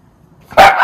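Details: A miniature schnauzer, one of two brothers, barks once, excited about being followed outside to their rest area; a single sharp, bright bark bursts in after near silence and trails off.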